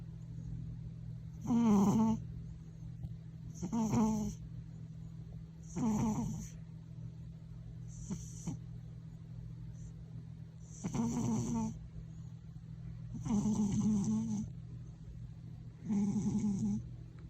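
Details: A pet cat snoring indoors, said to snore louder than anyone in the house and to startle people. Seven rasping, rattling breaths, each about a second long, come roughly every two seconds over a steady low electrical hum.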